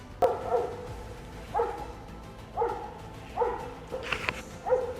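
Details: German Shorthaired Pointer hunting dog baying at a sow and piglets standing in bushes during a Christmas Eve driven hunt. Evenly spaced barks roughly every second over continuous outdoor background noise, with a brief sharp sound near the end.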